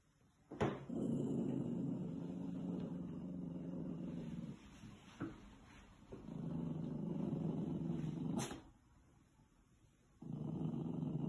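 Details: Puppy Thistle, a female, growling at her own reflection in a mirror on a farm in County Kilkenny, Ireland: long low rumbling growls of several seconds separated by short pauses and a sharp click.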